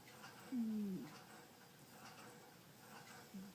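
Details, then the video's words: Butterfly the domestic cat snoring while asleep indoors, one soft, low whistled breath gliding downward for about half a second, followed by the faint start of another near the end; otherwise quiet room tone. "Butterfly snores"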